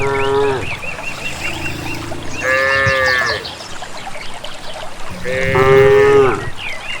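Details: Group of cattle walking to a grass field in the countryside; three moos, the later two rising then falling with a nasal, bright edge, amid low rumbling background and occasional bird chirps.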